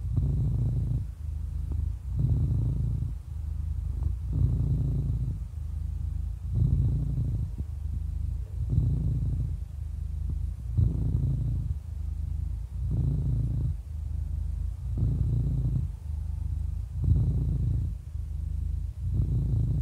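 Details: An 11-year-old cat, described as happy, purrs without pause; the low vibrating drone pulses louder and softer in a regular breathing rhythm about every two seconds, around ten cycles.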